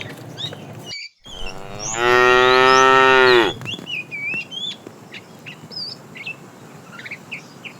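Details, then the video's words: Tame cows herded in the morning toward green grassy fields; one long, loud harmonic moo about one and a half seconds, steady then falling, with many small birds chirping and twittering throughout. "Herding tame cows every morning, Starting a long journey to green grassy fields, Funny cow sounds"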